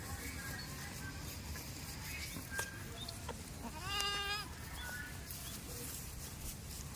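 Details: A farm goat in a village gives a single short, wavering bleat with a quivering, layered tone midway through, against a steady background of broadband noise and faint clicks.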